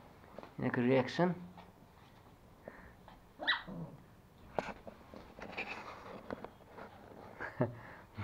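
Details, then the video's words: Toy Pomeranian puppies Pomo, a male, and Pomy, a female, fighting over a sock at home in Kathmandu, Nepal: one short harmonic yelping growl near the start, then scattered soft thumps, squeaks and rustling indoors. "Pomeranian puppies fighting for sock / pomo playing with sock"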